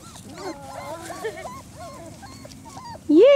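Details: German Shorthaired Pointer puppies, four weeks old, exploring outdoors for the first time, produce a string of brief wavering whimpers and squeals, then a loud rising cry closes the moment.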